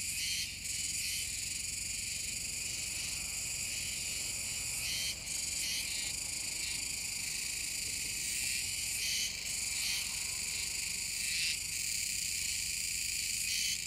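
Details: Chorus of Kuroiwa's cicadas near the Komegawa river mouth, Tenjin-cho, Nishinoomote, Tanegashima, 7 September 2022: an unbroken high, buzzing wall of sound, punctuated by frequent irregular, sharp rasping bursts from several callers.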